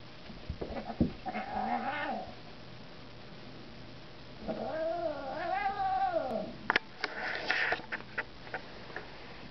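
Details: Two domestic cats fighting: drawn-out wavering yowls rising and falling, one around one to two seconds and a longer one from about four and a half to six seconds, then sharp scuffling noises and a brief higher cry.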